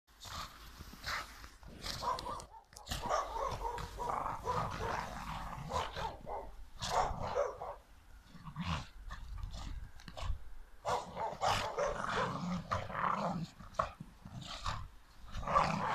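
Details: A Staffordshire Bull Terrier mother and her son play in the snow, giving rough growls and short, gruff barks in quick, uneven bursts.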